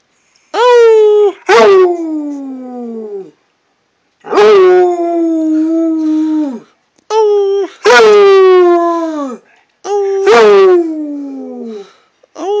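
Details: Redbone Coonhound baying inside, with drawn-out mournful howls that start with a sharp rise, hold a steady tone, then trail downward, separated by brief silences.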